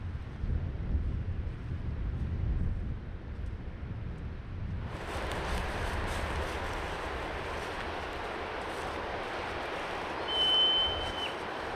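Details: A marmot in a mountain bowl in British Columbia gives a single high, shrill, shrieking whistle, its alarm call at a hiker seen as a threat, over steady wind.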